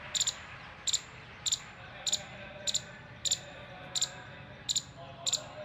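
An Indian palm squirrel gives sharp, high chirps in quick doubled or tripled bursts, repeated steadily as an alert.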